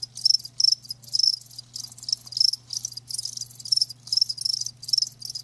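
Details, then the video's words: Live crickets giving clear separate chirp bursts, each a short high ringing trill about a third of a second long, repeated roughly twice per second, with a quiet low hum beneath. "Live Crickets 60min "Natural Sound""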